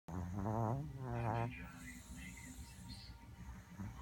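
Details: Chihuahua asleep and dreaming, snoring indoors: two low, wavering voiced rumbles with a quivering pitch in the first second and a half, then softer hissy breathing.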